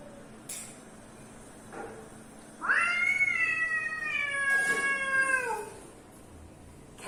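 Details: Pet cat reacting to unfamiliar cat sounds gives a single long meow of about three seconds, starting with a quick rise, holding level, then sliding down at the end, with faint knocks before and after.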